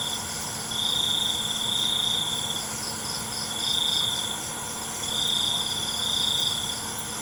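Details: Night-time crickets give bright, high, pulsed trills lasting one to two seconds and returning every couple of seconds, backed by a dense continuous hiss of other insects and a low hum.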